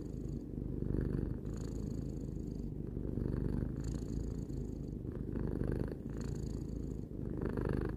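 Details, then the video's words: Relaxed purring from a pet cat aged three: deep, even, motor-like rumble rising and falling in breath cycles of roughly one to two seconds, recorded close up in a quiet room. "Cat purring"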